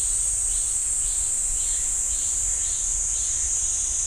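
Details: In a pine forest by Ssanggyesa temple in Jirisan National Park, cicadas keep up an unbroken, shrill high buzz, with soft faint pulses underneath about twice a second.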